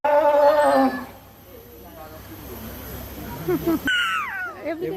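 A sea lion gives a loud, wavering, harmonic bawl, then a falling cry, with people talking nearby.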